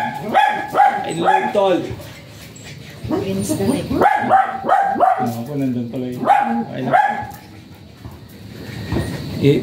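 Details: Japanese Spitz offered for stud service at Aringay, La Union: sharp, high yapping barks in quick clusters of two or three, with short pauses between bursts and faint background voices.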